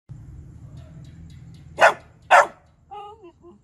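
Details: Shiba Inu dog barking while begging for food: two sharp, loud barks about half a second apart after a quiet stretch of low background hum, followed by softer whining tonal sounds near the end.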